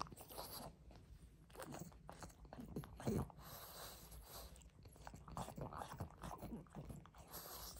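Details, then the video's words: Pug chewing greedily on a rope toy, recorded close up indoors for ASMR: steady crunching and biting with soft snorts, one sharp louder chomp near the three-second mark, room otherwise quiet. "Мопс жадно жуёт игрушку.Вкусная веревка."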